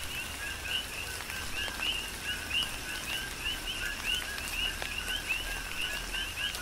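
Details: Coqui frogs chorusing during a tropical rain shower on the Big Island of Hawaii: many overlapping two-note chirps, a low note then a rising higher whistle, repeated rapidly throughout, with raindrops pattering and steady rain hiss.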